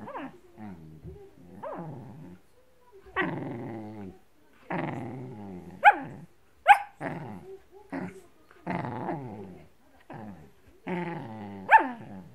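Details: Blue merle Shetland Sheepdog growling and snapping as it attacks a blanket, with irregular bursts of rough growls punctuated by short sharp yips about once a second, separated by brief silences.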